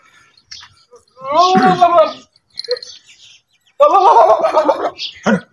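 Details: Goats running and leaping across open fields; two tremulous, wavering bleats about a second long, separated by a short pause with faint scattered noises in between.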